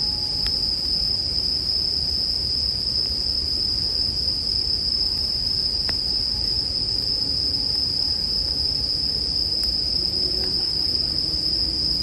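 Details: Bell crickets keep up a constant piercing ringing trill, while a bonfire adds scattered crackles and snaps over a low, steady rumble.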